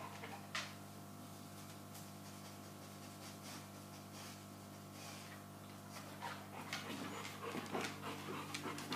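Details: A first-time Boerboel mother-to-be, Soko, in labour and refusing to be left alone, breathes in soft panting puffs that grow quicker and louder toward the end, with a steady background hum.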